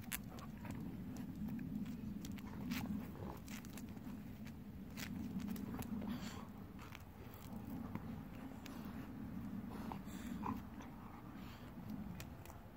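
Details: Kohaku and Ibuki, two Golden Retriever siblings aged 10 and 9, wrestle at night; low, rasping breathing swells and fades in waves of several seconds, with sharp snaps and footstep-like taps over the top.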